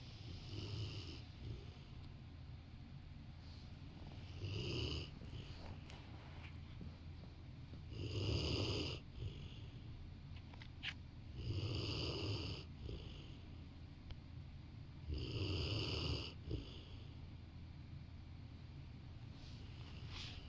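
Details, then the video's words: Sleeping Rottweiler curled beside its owner on a sofa snores steadily, with loud throaty rattling breaths roughly every three to four seconds, each carrying a wheezy nasal edge, in an otherwise still indoor setting. "Rottweiler taking a nap while snoring"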